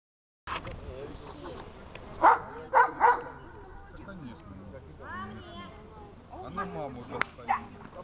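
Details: Besser, a dog, barks during a reward after search training: three sharp, loud barks close together around the middle, with a human voice talking over much of the recording.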